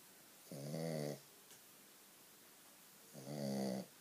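A Shih Tzu snores loudly, two deep rumbling breaths a few seconds apart.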